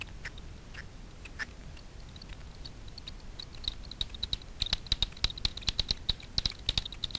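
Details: Night foraging Daubenton's bats over Miedwie lake in north-west Poland, converted by a frequency division bat detector. Sparse ticks at first, then a quickening run of sharp clicks growing louder during the second half.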